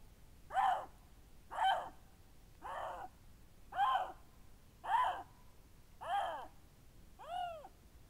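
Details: Lynx giving a series of seven harsh, meow-like calls, about one per second, each a broad harmonic burst, the last one clearer and more tonal with an arched, rising-then-falling shape; quiet background otherwise.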